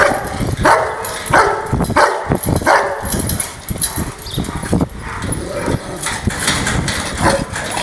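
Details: Angry Rottweiler giving a series of loud sharp barks spaced about half a second apart in the first three seconds, then quieter, irregular barks and background rumble.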